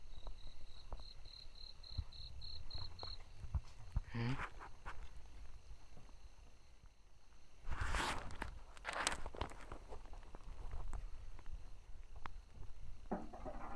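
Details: Brauer's tree frog calling: a run of about ten short, evenly spaced high notes over the first three seconds, followed by footsteps, rustling and handling noise through the rest of the recording.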